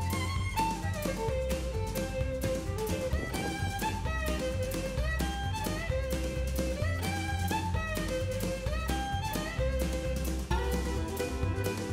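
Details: Fiddle-led instrumental music with a bowed melody over a steady rhythmic accompaniment throughout; no bee buzzing or other animal sounds.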